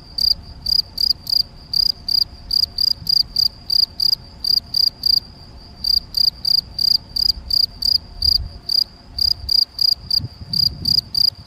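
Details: Male field cricket (Gryllus campestris) at Macieira da Maia, Vila do Conde, Portugal, on 7 May 2021, filmed with a Canon PowerShot SX70 HS: loud, high, shrill chirps, about three each second, with one brief pause midway; faint low background rumble.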